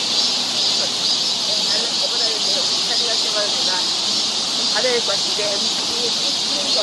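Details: Summer cicadas droning in a Seoul forest, Korea: an unbroken shrill buzzing wall of sound, with softer chirping or voice-like fragments in the background.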